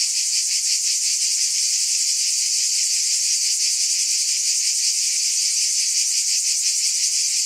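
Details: Steady high-pitched cicada drone, a sizzling continuous buzz with slight rapid throbbing, level and uninterrupted, no birds, wind or people.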